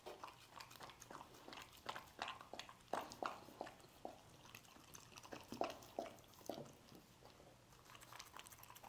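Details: Scrambled egg being eaten by a dog: irregular moist chomps and lip smacks, some sharper bites around the middle, spaced unevenly over a quiet background hum.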